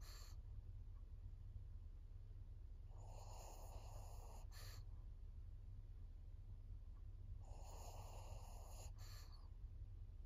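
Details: Maria, an elderly 14-year-old fawn female pug in Japan, recorded 22 September 2024, giving two long, wheezy, snoring breaths about four to five seconds apart, each ending in a brief sharper snort.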